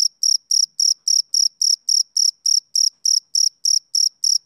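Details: Rhythmic chirping of a male cricket, a summer-evening sound; crisp shrill pulses follow one another evenly about every quarter second throughout, against complete silence otherwise.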